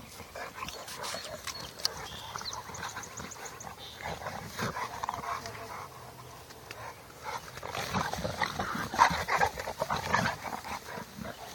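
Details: Bullmastiff x Boerboel crossbreed dog making rough, irregular bursts of sound that cluster in the last few seconds, with human voices and background noise around it.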